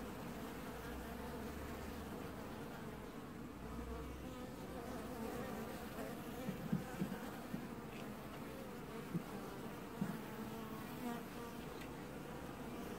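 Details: Apiary honey bees washboarding at the hive in early July 2019 produce a steady, dense buzz with a deep rumbling undertone, marked by a few brief louder crackles between six and eleven seconds.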